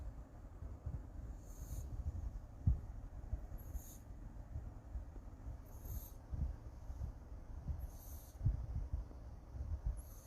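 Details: Sleeping Siamese cat snoring: soft, airy breaths recur roughly every two seconds over a low, steady rumble. The whole recording stays faint and quiet.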